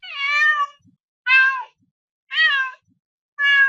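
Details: House cat giving loud, clear meows, four strong nasal cries in under four seconds, each steady and richly toned, separated by short silent gaps.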